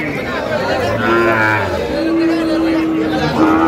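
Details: Sahiwal bulls at Ambari cattle market, Cumilla, Bangladesh, 18 April 2025, during price bargaining: a low, drawn-out moo with steady held tones, plus background crowd chatter and speech.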